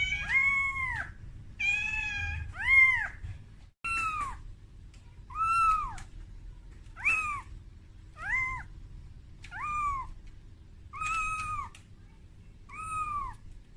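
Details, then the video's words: Momo, a kitten calling its mother Amora while frightened at being brought out of its room for the first time; a rapid series of about ten short, high, arching mews at roughly one-second intervals. "Suara Bayi Kucing Menangis"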